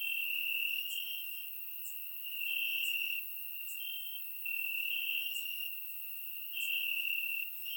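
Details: High, ringing cricket chirping from the grass on a warm summer night in Bulgaria, captured with a surround microphone; bursts of louder trilling swell roughly every two seconds over a constant thin background hum of insects.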